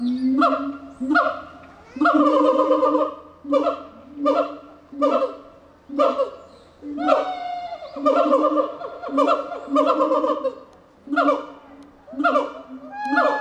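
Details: Gibbon hooting in rhythmic pulsed bursts, about one every second, some notes sliding upward, with short gaps between phrases and a faint steady low hum early on.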